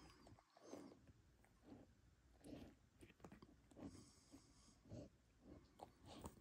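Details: Huskies munching Icelandic cod skin treats: soft, muffled chewing in steady pulses about once a second, low and damp, with occasional louder crunches and a quiet indoor background.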